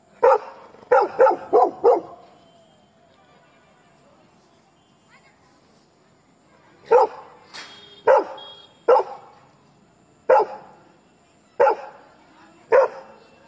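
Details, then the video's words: Labrador Retriever barking at strangers: a rapid burst of four sharp barks, a long quiet gap, then single loud barks spaced about one to one and a half seconds apart. "Labrador barking।barkingatstrangers"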